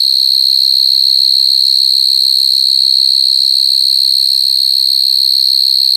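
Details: A loud, unwavering high whistle-like trill from crying coconut crickets fills the whole stretch with no breaks. Only faint low background noises sit beneath it.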